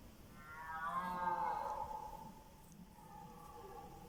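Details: Red deer stags roaring during the evening rut; after dusk several bulls call over one another close to the recorder. A single drawn-out, moaning roar rich in harmonics swells near one second, then fades, and a fainter roar follows.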